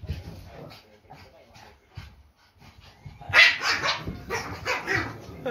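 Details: Two Pekingese dogs, one-year-old Peko and baby Poco, bark at a squeaking toy at home in October 2018: after quiet rustling and soft voices, a burst of sharp, loud barks comes in quick succession.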